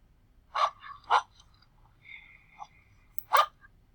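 A dog gives three sharp, loud barks, two close together and one after a pause.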